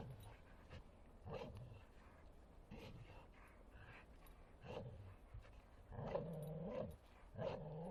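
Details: Bull Terrier at play in a forest, producing bursts of low growling and harmonic groaning roughly every one to two seconds, louder and longer toward the end, with faint rustling between.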